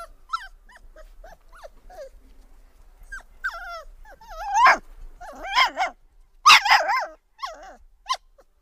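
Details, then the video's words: Several puppies whine for milk. Short, overlapping squeaky whines rise and fall in quick succession, then build into louder, wavering cries and yelps through the second half. "Cute Puppies Whining For Milk"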